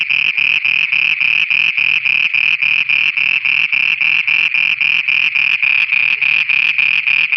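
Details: Frogs in Pakistan singing after dark: a relentless, regular pulsing buzz, about three and a half notes per second, each note bright and nasal with a deeper muffled beat below, unbroken throughout.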